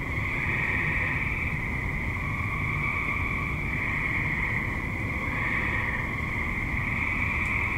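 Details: Suburban tree frogs at dusk or night keep up an unbroken chorus of high, buzzing trills that swell and shift between overlapping callers, with low background rumble beneath.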